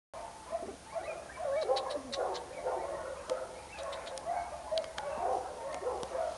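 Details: Golden Retriever puppies raised at the Hotelcan kennel, overlapping high whines and short yelps, several voices calling over one another, with a steady background hiss throughout.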